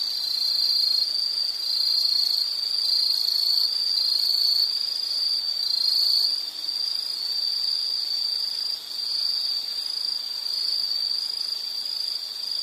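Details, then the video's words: Insects calling outdoors: a dense, unbroken shrill trill with a faint pulsing texture, plus thinner, higher-pitched buzzing voices layered above and a brief dip in loudness midway. "Sound · Nature Sound of nature sounds scenery L · insect"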